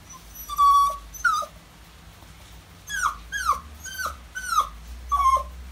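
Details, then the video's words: Maltese whining after being left with someone else while its owners are out; drawn-out high whimper, then a run of five quick falling cries, each dropping sharply in pitch, over a faint low background hum. "콩이가 찡찡찡 거리는 이유는?"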